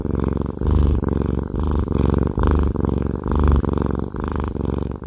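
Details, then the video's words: Cuddly male cat Haku purring through a massage, deep rumbling bursts about once a second, with a few short louder throaty pulses, very close and quiet background. "Haku Fluffy Cat has a Massage/ ASMR"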